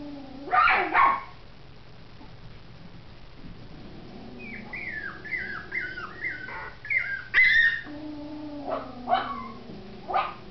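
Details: Biewer and Yorkshire Terrier puppies whimpering: a run of short, high, downward-sliding whines repeated quickly in the middle, with scattered sharp yips and squeaks before and after, over a steady low hum.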